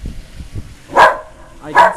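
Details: Female whippet going berserk at the Goodyear blimp flying over South Florida, seen three times that day; brief murmuring, then two loud, sharp barks under a second apart.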